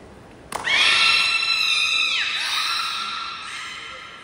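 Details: Beluga training session at Port of Nagoya Public Aquarium on 16 November 2024, with every animal joining in. After a sharp click, a loud, rich harmonic squeal holds steady, bends downward, then trails off into a softer tone.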